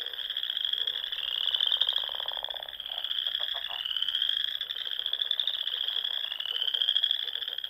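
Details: Frogs singing at dusk in spring among the ponds and lakes of Nebraska's Sandhills dunes: a dense, continuous high trilling chorus with overlapping pulsed trills, plus lower rapid croaking bursts from closer frogs.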